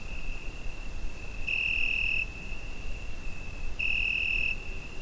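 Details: Nighttime summer cricket, Zoom H5 recording: an unbroken thin, high trill rises twice into stronger bursts of under a second, spaced about two and a half seconds apart, with a low hum of background noise.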